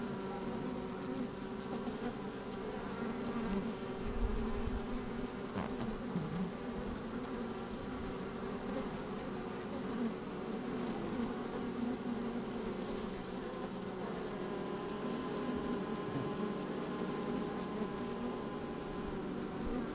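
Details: Working honey bees in an opened hive, recorded from inside with a microphone on a fine sunny day: constant low buzzing drone, some rumbling bumps early on, wind in the background.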